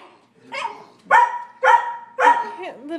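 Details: Sheltie, Collie and Frenchie barking at a squirrel on a rainy March day; four sharp barks roughly half a second apart, a person's voice faintly underneath and a whiny tail at the end.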